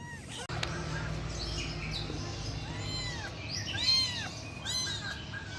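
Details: Thin arched mews from a rescued kitten, several rising-then-falling cries in a row over a steady low background hum.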